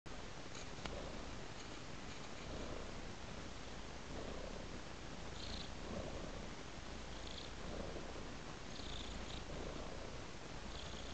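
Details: A domestic cat purrs steadily and low, a continuous rumbling drone with soft rhythmic swells roughly every second as it breathes in and out.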